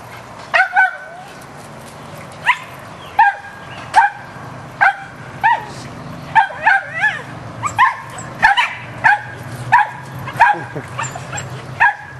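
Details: Rat terriers barking while hunting squirrels outdoors: sharp, high barks with clear harmonics come singly and in short doublets, irregularly spaced about every half second to second, over a steady low hum.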